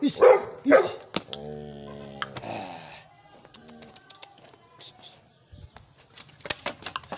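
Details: ['Young Gull Terrier dog barking powerfully: two loud, harsh barks in quick succession at the start, followed by a steady droning harmonic tone and then scattered sharp clicks and knocks at lower volume.']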